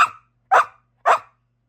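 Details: Australian Shepherd objecting after being told no rawhide until dinner is eaten: three loud, clipped barks spaced about half a second apart, each sharp and then fading quickly.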